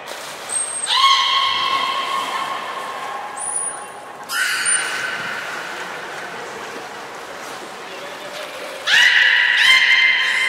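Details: Port of Nagoya Public Aquarium belugas Hodoi, Gray and Mirai during training, 1 December 2019: three separate sustained, harmonic, neigh-like calls spaced several seconds apart, with short high squeaky whistles at their starts and a reverberant indoor background.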